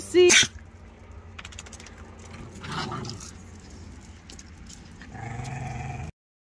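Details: An Italian Greyhound gives one sharp, high-pitched bark while dogs play in a yard, followed by quiet background noise.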